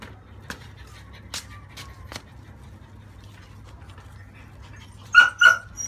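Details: Female French Bulldog pup, 30 days old, in the bath having its crust washed off: mostly quiet clicks and handling sounds, then two strong, ringing yelps close together at the end.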